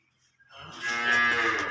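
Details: Holstein Friesian cow offered for sale with its calf gives a single loud, full moo. It rises after a quiet start and holds steady, rich and harmonic, for over a second.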